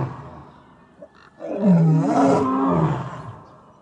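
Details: At Taigan lion park in Crimea, a lion gives a deep, rumbling roar that swells and then fades, part of the evening lion roll call.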